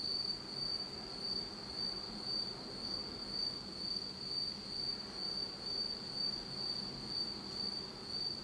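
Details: Japanese autumn night insects calling in complete darkness: an unbroken high ringing trill that swells and fades gently about twice a second, with low rumbling ambience.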